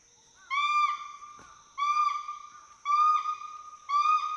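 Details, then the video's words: Two endangered Western hoolock gibbons climbing and swinging playfully through forest trees at Hollongapar Gibbon Sanctuary, Assam, giving whoops and hoots: four loud, tonal, richly harmonic hooting calls, each slightly rising, spaced about a second apart, over a steady high insect drone. "The sounds of Western Hoolock Gibbons playing among trees"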